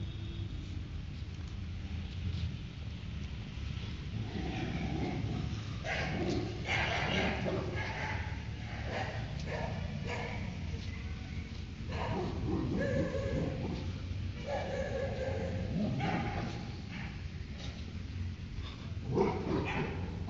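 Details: A Labrador Retriever, while playing, starts barking at a neighbour's dog: loud, rough barks in short irregular bursts over a noisy background.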